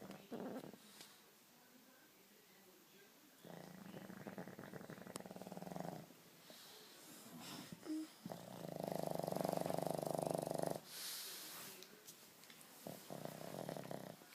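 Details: Bosley the dog snoring: long rasping snore bouts with a buzzy, pulsing texture, separated by quieter breathing pauses, plus a few faint clicks and rustles.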